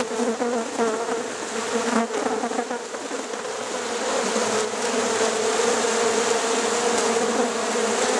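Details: Honey bees at Rosharon being moved into a hive late at night; a dense, steady, low buzzing hum from many bees, swelling slightly toward the end, with occasional brief louder flickers.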